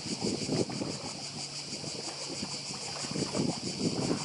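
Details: Cicadas buzz on Badija island off Croatia in 2024, a continuous high pulsing drone, while low sea waves wash in and out in rolling bursts with some wind.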